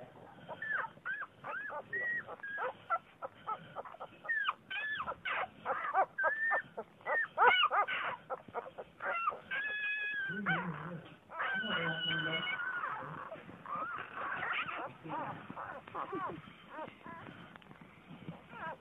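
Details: Vizsla puppies whimpering and yelping in quick, overlapping bursts of high, wavering whines with rising and falling tones. The cries crowd together for most of the stretch, then briefly thin out into a few longer, drawn-out squeals.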